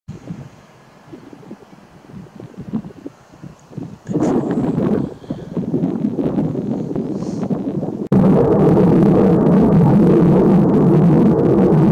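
Wind rumbling across the microphone, growing louder in gusts, with no animal voice audible.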